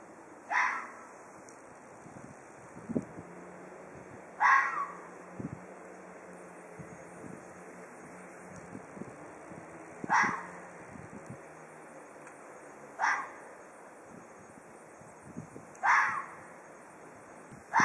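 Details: Ezo red fox giving threat calls: six harsh, hoarse screeching bursts at uneven gaps of roughly three to five seconds, each starting sharply and fading fast, with faint low rumbling between them.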